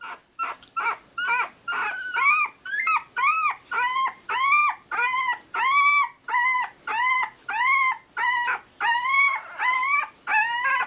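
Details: Pembroke Welsh Corgi puppies just over one week old, red/sable and blue males, give high, squeaky arched whimpers about twice a second. Most of the whining comes from the blue boy.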